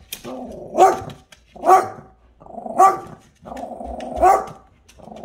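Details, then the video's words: Buddy, a dog, talking to the cat next door that dislikes him: four rhythmic rumbling growls, each ending in a sharp bark-like yelp, spaced under a second apart. "Buddy talking to the cat."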